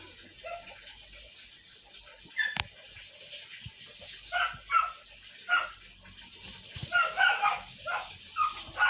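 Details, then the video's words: Siberian Husky arguing with short, pitched whines and groans repeated about every second after a quiet start, one sharp knock, and soft background noise. "HUSKY ARGUING"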